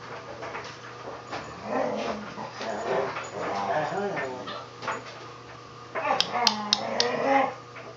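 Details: Siberian Huskies Free Four and Vera playing with a puppy indoors: low, wavering growl-whines and grumbles in uneven bursts, a short louder flurry near the end with sharp clicks, and a person talking softly throughout.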